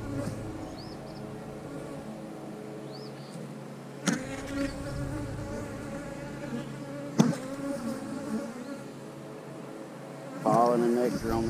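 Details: Honey bees in an eight-frame hive during an inspection of brood and nectar frames: a steady, low droning hum with overtones, broken by sharp knocks from frame handling and a few short chirps near the end.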